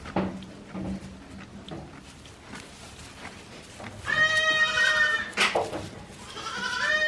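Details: Day-old goat kids at a handmade goat farm in Japan, born 17 April 2024, giving high harmonic bleats in the second half after quieter rustling and low murmurs at the start.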